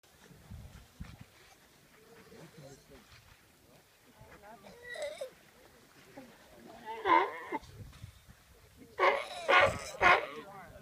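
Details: A Galapagos sea lion family, with parents playing with their pup, in the Galapagos Islands, Ecuador, gives hoarse, bleating calls in loud bursts, rising and falling over a low murmur.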